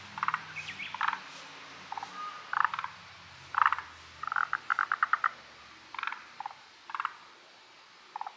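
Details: Forest green tree frogs calling in chorus, unseen: short bursts of rapid knocking pulses repeated irregularly, some runs of six or seven quick notes, over a quiet background with a faint low hum.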